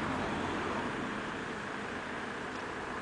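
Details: Steady broadband hiss like passing traffic or wind fills the recording, with no animal voice heard.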